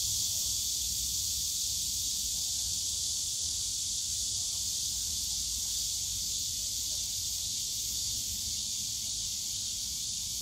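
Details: Summer-day cicadas droning in the bamboo forest of Yongsan Family Park: a strong, continuous shrill buzz with slight pulsing texture, over quiet low park sounds.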